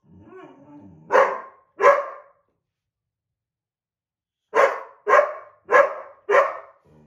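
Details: Ridgely the white boxer, upset that an older black Lab mix took the window seat, gives a low grumble then two sharp barks, silence, and four more barks in quick succession in a small room.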